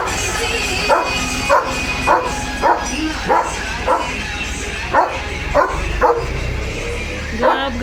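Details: German Shepherd Leo, the protective guardian of his home's gate, gives a run of repeated barks at a fairly regular pace, with background music and a person's voice mixed in beneath.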